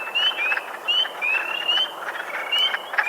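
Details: Several spring peepers, vernal-pool frogs, give their breeding call, high, upslurred whistled peeps that overlap one another in a steady chorus.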